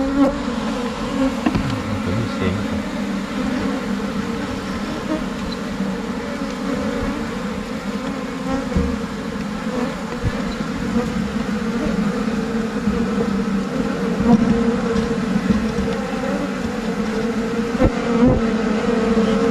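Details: Asian honey bees of Thailand splitting from their colony and entering a new hive box. A dense, unbroken drone of many wings holds steady throughout, with faint pulsing and occasional light taps.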